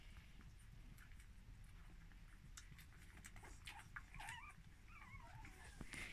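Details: Squealing from month-old puppies born to Vudik and Ladushka: wavering, rising-and-falling whines build up in the second half. A steady low rumble and scattered clicks run underneath.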